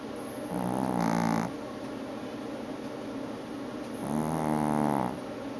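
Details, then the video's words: ['Female Chihuahua snoring during an afternoon nap: two raspy, rumbling snores about a second long, roughly three seconds apart, with quiet breathing between them.'] "Snoring Chihuahua"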